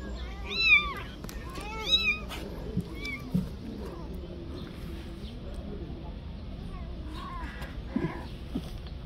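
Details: Stray mother cat on the street pleading for her kitten's return, fearing harm to it; two strong rising-falling meows early on, then softer scattered mews over a low steady background hum.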